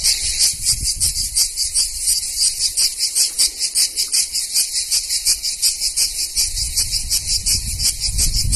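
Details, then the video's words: Cicadas in Greek summer at Vasilina, North Evia, sing a loud, harsh buzzing trill that pulses rapidly in steady waves. "Τζιτζίκια Ελληνικό καλοκαίρι (cicale)"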